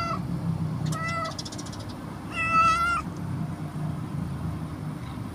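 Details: A stray mother cat with her two kittens at feeding time. There are two clear, tonal meows: a short one near the start, then a longer, louder, slightly rising one. Steady low traffic rumble runs underneath.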